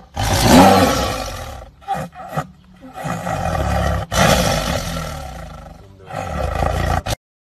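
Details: Tiger eating meat with a loud, gravelly roar at the start. It breaks into a few choppy bursts, then two more long growling stretches before abrupt silence.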